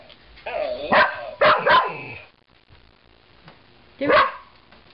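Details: A 2-year-old Portuguese Water Dog, female, excited by a talking ball received as a Christmas present; a few sharp barks and yips in quick bursts, with a person talking to her in between and the toy's voice.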